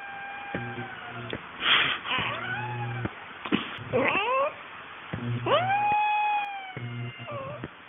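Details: Chatty domestic cat meowing repeatedly in a small room, long drawn-out calls that rise and fall in pitch, one sliding up into a sustained wail, with a person answering in imitation meows.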